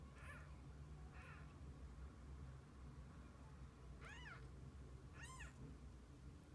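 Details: Kittens alongside their mother cat through the day: two faint early mews, then two clear, bending meows near the end, about a second apart, with a low indoor hum underneath.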